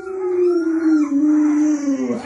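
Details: Lolo, a pet Alaskan Malamute at home, gives one long, loud, steady howl held on a low note, sliding slowly downward for about two seconds and dipping briefly at the end.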